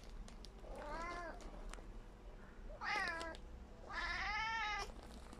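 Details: Tabby cat Tommy, wanting to catch a little fly, gives three clear harmonic meows about every one and a half seconds, each rising then falling, the last longest and loudest, over quiet room background.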